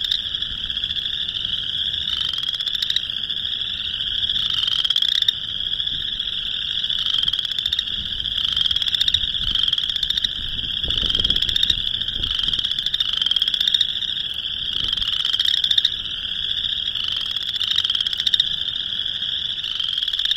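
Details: Boreal chorus frogs in a March 2021 mating chorus in Northern Illinois; many overlapping rising, rattling trills merge into a steady high-pitched din with no single dominant caller.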